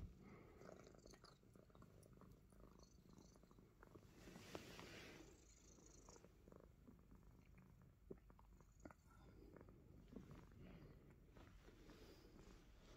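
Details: Himalayan Persian cat that loves biting fingers, giving a low, steady rumbling purr that runs through the whole stretch, with soft clicks and light rustling on top.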